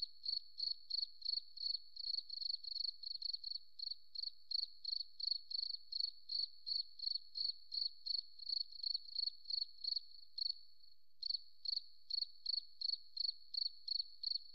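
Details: Continuous cricket chirping in a forest: crisp high pulses, roughly three per second, steady for ten seconds, then a short lull before the same rapid chirps return; no other noises.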